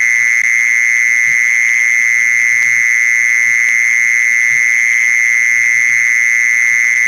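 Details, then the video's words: Mole cricket calling, played as a lure to attract others of its kind: an unwavering, piercing, insect-like trill sustained without a break, backed only by faint low thumps. "เสียงล่อแมงกระชอน แมงจีซอน"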